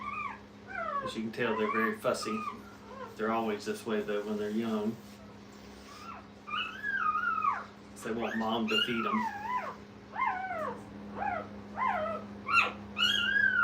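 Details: Brittany puppies together with their mother at a puppy training kennel: human speech opens, then a run of short, high, bent whimpers follow one after another, some rising then falling, in a small indoor room with a low hum.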